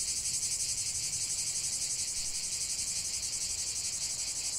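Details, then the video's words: Continuous cicada chorus in a natural setting, a high metallic whir beating in fast regular pulses from start to end, with no other sounds. "45 min de chant des cigales"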